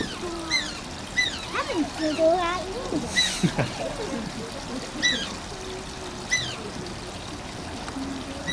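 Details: Asian small-clawed otter Shishimaru at Oji Zoo whining: dense, piercing squeaks rising and falling, some quavering, with a sharp splash midway, pouring water and people talking nearby.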